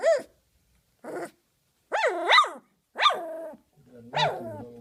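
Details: Guarding her bed after her first dinner, a 19-day-old large female Doberman Pinscher puppy gives two brief yips, then three loud wavering growling squeals that rise and fall, ending over a low rumbling undertone.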